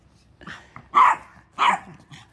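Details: Two loud, sharp dog barks about half a second apart, each preceded and followed by softer yips, in a short indoor burst.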